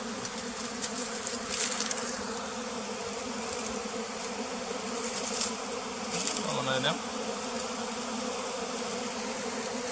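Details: Steady, even bee drone recorded at a bee farm in the flooded forest beside West Tonle Sap Lake, Cambodia. The hum holds at one low pitch, with scattered clicks and a brief dip in tone near the end.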